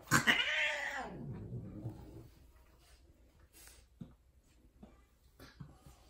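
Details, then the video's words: Female Persian cat, a tortoiseshell named Pekoe, mating indoors with a white odd-eyed extreme-face tom: one loud harsh yowl that swells and arches then trails off over two seconds, followed by quiet shuffling and faint clicks. "Persian Cats Mating (loud female)"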